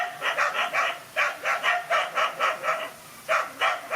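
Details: Lone dog confronting two male dogs in a fight: quick clusters of loud, hoarse barks, a short quiet gap midway before two more barks.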